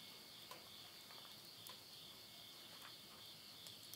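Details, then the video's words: Countryside insects at the end of summer near Yurihama, Tottori, Japan, heard at midnight in September 2020: an unbroken, high buzzing drone, with soft crackles and ticks from a wood fire burning in a stove. "mid night the voice of insects"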